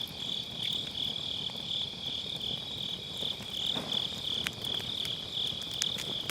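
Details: High, even insect trill from grass insects on an autumn night fills the background beside a crackling campfire in a round fire pit, with a few soft pops; captured on a Sennheiser MKE600 with low cut.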